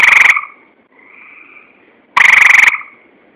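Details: Tree frog producing two loud buzzy croaks, each a pulsed rasp under half a second, with a faint sustained tone between them.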